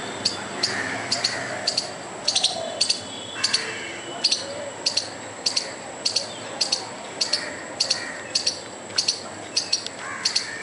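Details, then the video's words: A squirrel makes furious, sharp scolding chips, repeated about twice a second, trying to scare off a dog and the person recording. "squirrel trying to scare a dog and me by making furious noise"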